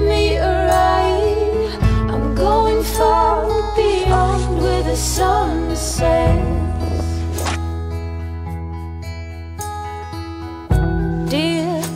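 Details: Music with sustained bass chords and a melodic voice or lead line, with no animal sounds. The harmony shifts every couple of seconds and no calls are heard.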